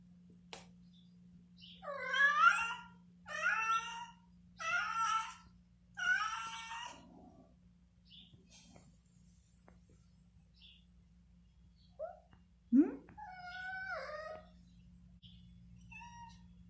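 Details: Domestic cat at play, meowing: four loud, drawn-out wavering meows in quick succession over the first seven seconds, a pause with faint rustling, then a sharp short cry and a further falling meow near the end, in a quiet room.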